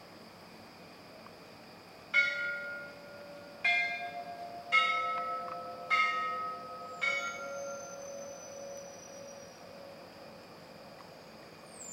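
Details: Five ringing bell strikes, each with lingering metallic tones, sound about a second apart over a steady background hiss.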